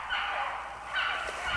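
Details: Hunting dogs in a spring run, set on a hare: a brief, dense chorus of overlapping bays and yelps, a continuous harmonic wash with two swells of loudness in open country.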